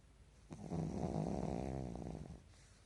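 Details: A Pekingese dozing indoors at midday, in REM sleep with its eyelids not closing, gives one deep, rattling snore of nearly two seconds that swells and fades against a quiet room.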